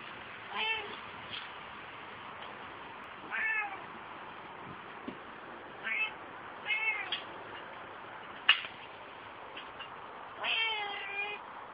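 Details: Female Ocicat Classic in an outdoor run, out for the first time after only travelling in a basket to the vet or shows, meowing excitedly: about six rising-falling harmonic meows spaced a few seconds apart over soft background hiss.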